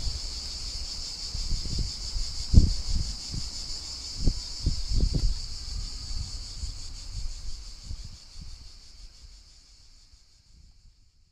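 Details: Summer cicada chorus in the countryside, lightly cleaned: a dense, pulsing high-pitched drone that runs steadily, then thins and fades out over the last seconds, with scattered low thuds and wind rumble beneath.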